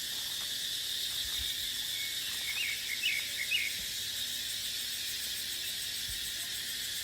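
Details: Cicadas in dry-season dipterocarp forest give a softer, even, high-pitched whine, steady from start to finish. A bird adds three or four quick chirps midway, and a little wind noise is heard.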